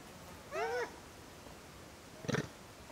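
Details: A wild Japanese macaque in summer gives a brief, tonal, slightly arched coo-like call, followed later by a short harsh burst.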